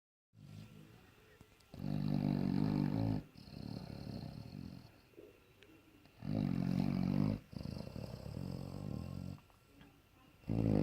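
A bloodhound snores in deep, rumbling bursts, each loud rasp followed by a softer breath.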